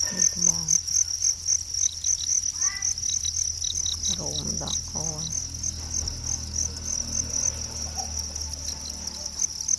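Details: Natural crickets keep up a sustained high, buzzy, rapidly pulsed trill, interrupted briefly by short bits of Khmer speech and low background hum.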